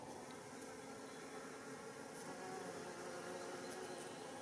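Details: Foraging worker Japanese honeybees (Apis cerana japonica) visiting white flowers of rock creeper (Schizophragma hydrangeoides) for nectar and pollen beside a mountain road in Japan, early July 2016; a continuous, dense droning buzz with a steady low hum throughout.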